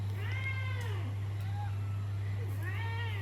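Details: Pet cats curious about their owners' snacks meow while hoping for food, two rising-falling harmonic meows about two seconds apart over a steady low hum.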